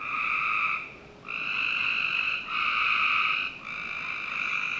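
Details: Frogs calling on a summer night in a Northern Virginia backyard: long steady buzzing trills in overlapping bursts of about one second, with short gaps between them, over a faint constant background hiss.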